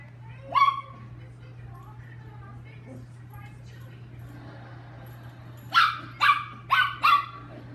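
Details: Lucky, a chihuahua, during playtime: a single sharp bark early on, then a quick series of four high, clipped barks about half a second apart near the end, over a steady low hum with a voice between.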